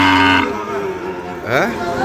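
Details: Sahiwal cattle at Ambari market in Parbatipur, Dinajpur, 5 May 2025: a short harmonic moo opens, fading into a buyer's voice, then a second rising call amid bargaining and faint music.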